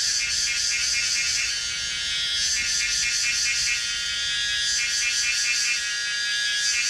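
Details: A Pomponia linearis cicada at Yangmingshan, Taiwan, sings a dense, high-pitched buzzing drone that runs steadily, pulsing faintly in a slow, wavering rhythm.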